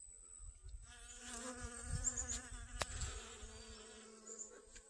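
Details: Honey bees collect pollen on garden sunflowers, August 25th 2021. A quiet start gives way to a steady, humming buzz that wavers slightly in loudness, with a sharp click partway through and light low rumble beneath.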